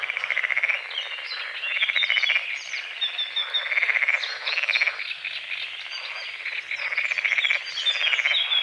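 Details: Frogs croaking at dawn over a misty lake at the forest edge, loud pulsed rattling croaks in bursts of about a second, repeated every second or so, with bird whistles above and a steady background chorus.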